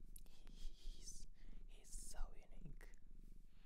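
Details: Shelter-adopted cat in Japan purring close up, a steady low pulsing rumble running throughout, with soft whispering and light handling rustles over it indoors.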